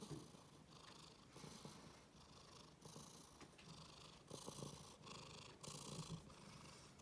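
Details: Domestic cat, angry and displeased at having its rear touched yet purring; a steady low rumbling purr rising and falling in breathing cycles about every 1.4 seconds, with airy bursts indoors.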